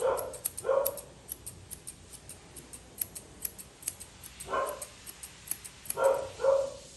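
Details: Poodle mix vocalizing while being groomed indoors: five short, whiny yelps, some in quick pairs near the start and end, over a steady run of crisp scissor snips.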